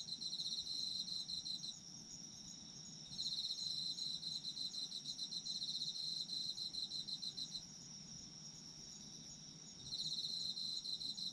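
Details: Autumn insects in a sleep ASMR recording: dense, shrill chirping trills near the top of the range, bursts of rapid pulses that switch on and off every few seconds over a steady high background hum and soft low rumble.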